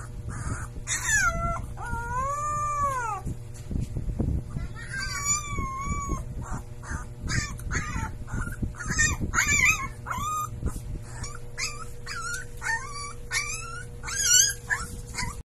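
A Siberian Husky puppy howls in high, wavering tones broken by short yips and squeaks.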